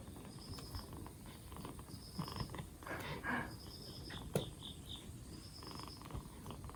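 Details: Low steady purring from a rescued two-month-old black Bombay cat kitten on its fourth day in care, recovering from a cold; a brief rustle and a sharp click break in midway, with faint repeating high chirps.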